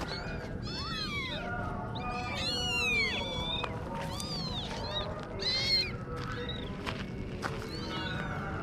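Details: Several kittens meow at once, a tangle of overlapping high, arching mews with clicks and rustles throughout, forming a near-continuous chorus.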